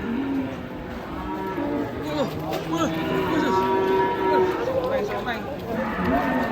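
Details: Cattle mooing in a compilation: several overlapping lowing calls rise and fall, some bending upward, over a steady murmur of people talking in the background.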